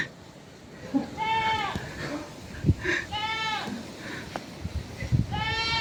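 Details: Goat bleating three times: wavering, quavering bleats with stacked harmonics, around 1.2, 3 and 5.5 seconds, over faint background noise and a few clicks.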